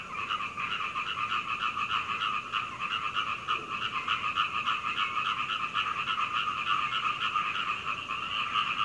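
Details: Frogs calling through the night until dawn at Hunei, Kaohsiung, Taiwan, recorded from a second-floor window with a Canon PowerShot camera; a dense continuous chorus of rapid croaks in two steady bands, pulsing without pause.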